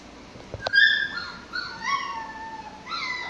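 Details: Six-week-old Pomsky puppies playing: high whistled whines sliding down and then level, a short yip near the start, another rising whine at the end.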